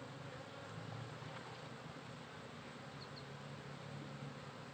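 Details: A continuous deep buzzing hum rises from a kept honey bee colony during hive work, with frames being lifted out, the drone steady and even with strong low harmonic bands.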